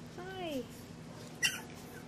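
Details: English bulldog puppy, raised on a ranch, giving one short rising-then-falling whine with clear harmonics, followed by a brief click amid a woman's greetings.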